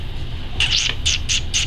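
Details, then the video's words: Wolfdog puppy, 7 1/2 weeks old, playing with its mother: a run of four loud, shrill squealing yelps, the first drawn out and wavering, then three short clipped bursts at an even pace, over a low background rumble. "Wolfdog Puppy Playing"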